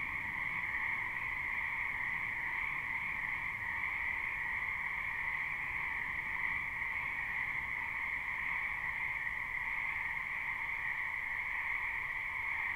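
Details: Numerous frogs in a spring wetland, captured live: an even, continuous chorus of trilling croaks at two high pitches, steady in volume, with faint hiss underneath and no other clear sounds.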